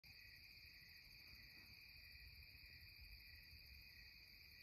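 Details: Cicadas singing at twilight in the Catskills: a dense, unbroken, high shimmering drone with several steady layered tones, constant in loudness throughout, over a faint low rumble.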